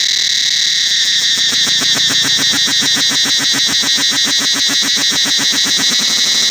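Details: Angkor Wat temple forest cicadas: over a constant shrill ringing drone, a pulsing beat builds after the first second and continues evenly, about three to four throbs per second, to the end.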